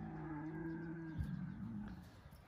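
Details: Deep, drawn-out lion moan from the Crimean group of lioness Simona with Sultan and Girey, a steady harmonic tone that wavers and dips midway, then fades over the next second with low rumbling noise.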